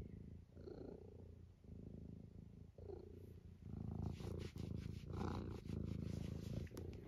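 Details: Eric the senior British tabby, close to 12 and amusing himself indoors, purrs in a steady rough rhythm for several seconds, interrupted by small squeaks and louder rattling breaths toward the end.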